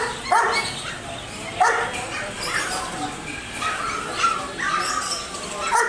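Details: Dog barking loudly, separate sharp barks at uneven intervals of about one second, each a brief harsh burst over a steady background hiss.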